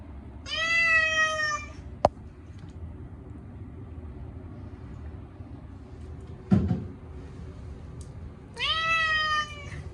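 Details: Short-legged Munchkin cat Chacha protesting his once-a-year bath with silver-vine cat shampoo: one long, loud wailing meow at the start and another at the end, with quiet indoor background and a couple of sharp knocks between.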